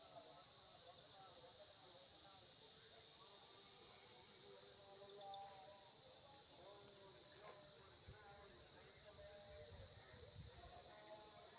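A steady, high-pitched insect chorus buzzes without pause, with faint lower sounds behind it.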